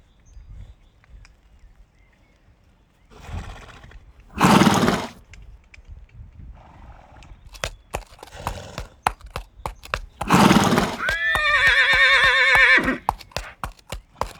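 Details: Horse giving two loud breathy snorts a few seconds apart, then a long, shaky, wavering whinny that descends in pitch, with scattered hoof clops between the calls.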